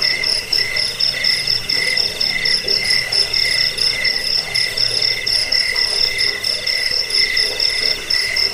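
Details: High, ringing cricket trill, used as a rat-repelling sleep sound, pulses rapidly and almost without pause, its bursts swelling roughly twice per second above a quiet lower drone.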